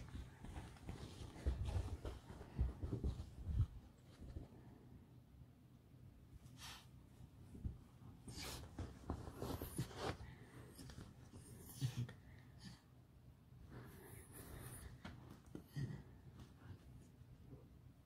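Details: Alice, a pet fox kept indoors, in a playful, mischievous mood: low snorting and huffing grunts come in scattered bursts, some breathy and panting, with quiet room noise between them.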